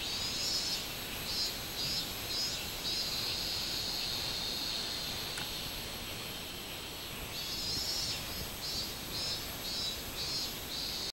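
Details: Minminzemi, the robust cicada, recorded 24 July 2016. Rapid buzzy pulses in a high band come in bursts, pause near the middle, then resume over a constant shrill insect drone.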